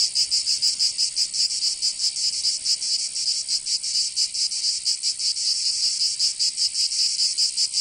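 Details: Cicadas singing in summer in Provence, southern France: a dense, loud, high-pitched buzzing chorus pulsing rapidly and unevenly, with no other sounds.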